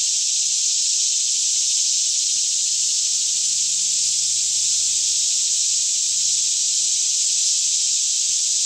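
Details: Cicadas in a lush green Kentucky forest near Franklin around 10am on a fairly still morning, a daytime chorus from all around: an unbroken, dense high-pitched hiss-like drone holding steady throughout, with a faint low hum underneath.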